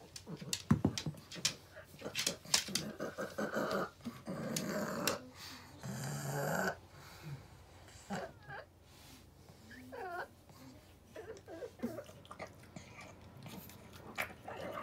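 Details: Rabi, a blind and deaf 16-year-old female pug, eating stewed offal (motsu-ni) indoors: wet snorting and grunting bursts, smacking chews, a few short whiny rising tones near the end, with brief human speech in a small room.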